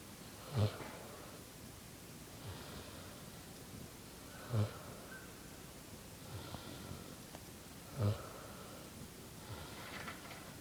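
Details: Sleeping on grass, a Vietnamese pot-bellied pig snores with deep, harsh snorts roughly every three and a half seconds, separated by quieter wheezy breaths.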